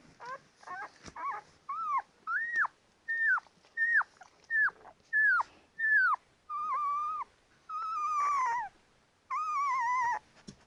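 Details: Ten-day-old Labrador Retriever puppies calling indoors: a steady series of high, arched whimpers and squeals, roughly one every second, rising then falling, growing longer and more drawn-out toward the end.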